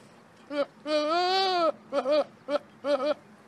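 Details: Goat bleating in a funny compilation: a short wavering cry, then a long drawn-out quavering bleat, followed by three shorter warbling bleats in quick succession, with faint background noise.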